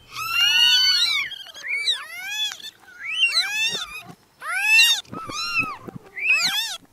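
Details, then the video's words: Little newborn kittens giving sharp, arched mews one after another, some rough and strained, with short breaks between each burst. "Meowing Sound Compilation 2023 | Listen Cute Newborn Kittens"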